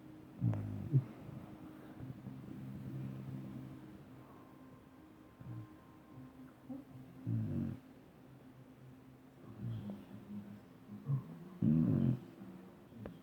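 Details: Dobermann dog snoring: deep, low rumbling snores in irregular bursts near the start, around seven seconds and again toward the end, over a steady low hum.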